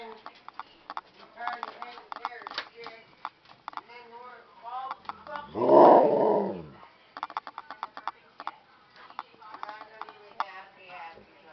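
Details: A Husky tells his owner he needs to go outside, filmed indoors around midnight. One brief, loud, harmonic howl-like cry cuts through frequent human speech on either side.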